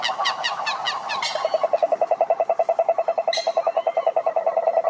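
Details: Cane toads (sapo cururu) calling at a lake in Brazil's Atlantic forest. A steady mid-pitched trill of evenly spaced pulses, about seven per second, carries throughout. A brief sharp high note cuts in midway.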